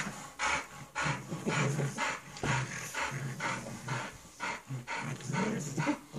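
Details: Playful bulldog puppy and pug, rapid rhythmic huffs and pants layered over short, low grumbling growls, roughly two bursts per second, uneven and energetic.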